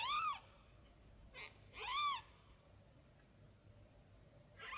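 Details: A tiny kitten searching for its mother cries repeatedly: thin, bent-arch meows rising then falling, several spaced about a second apart with shorter faint squeaks between, against a quiet indoor background.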